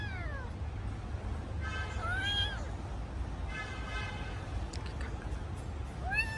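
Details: ['Kitten calling for its missing mother with several short meows, some faint and buzzy, one clearer cry mid-clip and another starting at the end, over low background noise.']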